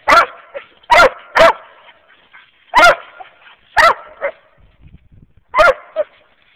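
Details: Squirrel-hunting dogs in Wayne County, Kentucky: a Walker hound mix and a mountain cur and black and tan cross that is still learning. Loud, full barks, some in pairs, are spaced irregularly, with softer yelps trailing between them.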